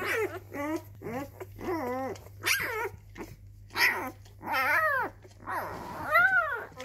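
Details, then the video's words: Labrador retriever puppy discovering its voice indoors: a run of short harmonic yelps and whiny arched howls, some rising then falling, coming in bursts roughly every half second to second, with a steady low electrical hum beneath. "Welpe Herr Rot entdeckt seine Stimme."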